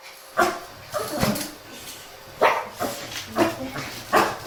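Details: Shih Tzu grumbling on a morning walk in the cool hours, walked together with a mischievous Miniature Pinscher; five or six abrupt barks spaced about a second apart over a quiet background.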